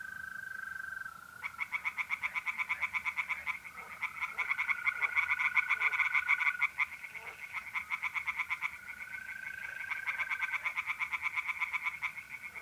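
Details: Steady mole cricket trill opens, then tree frogs in a North-East Italian pond break into fast, repeated rasping pulses through a mid-April night, the croaking waxing and waning with the trill continuing beneath.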